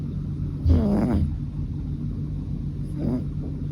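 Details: Snoring from Fukuchan, a male American Shorthair aged three, recorded 7 October 2023. One fuller, wheezy breath is followed by a shorter, fainter one about two seconds later, over constant low droning hum.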